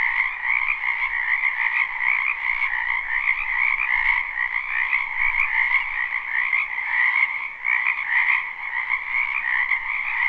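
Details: Spring wetland frog chorus, live recording: countless overlapping croaks merge into a steady, shimmering trill that never pauses, with a softer lower layer under the bright main band and small rises in loudness.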